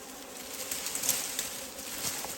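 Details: Wild honeybees at a forest beehive: a steady low droning hum with a faint overtone, under loud hissy high-frequency noise and a few soft ticks.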